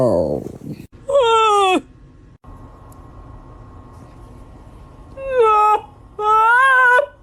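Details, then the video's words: Dog yawning indoors, a yawn said to be contagious; three squeaky, whining yawns with bright tonal overtones that rise then fall, one near the start and two longer ones at the end, with a low steady room hum between. "Dog yawning is contagious."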